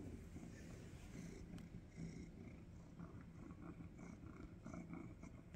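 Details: A male cat purring while snuggling on a cold day: a steady, low rumbling purr runs through the whole stretch, with faint soft rustling above it.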